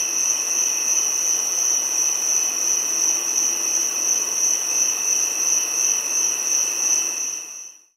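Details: Continuous shrill buzzing whine of a giant cicada, a sustained high tone over a weaker lower band, evenly loud and faintly pulsing before it fades away in the last half second.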